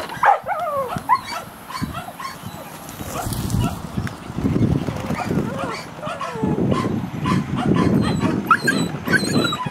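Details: Whippets at the National Derby in Krenglbach, Austria, May 2017, senior mix first heat: excited high yips and whining cries in quick succession at the start, then loud crowd noise and voices as the race runs.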